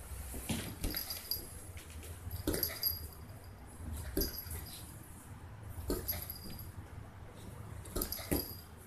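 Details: Playing Lhasa Apso puppy Chewie, 165 days old, gives soft whimpers and brief yips at irregular intervals, with light tapping and scuffling noises and a faint low background hum.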